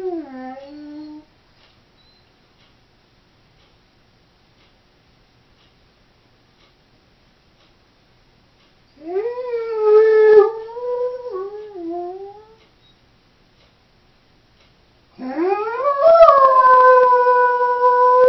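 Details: Female Doberman left alone at home gives short howls separated by long silences: a brief falling note at the start, a wavering mid-length howl, then a rising howl sustained to the end, indoors.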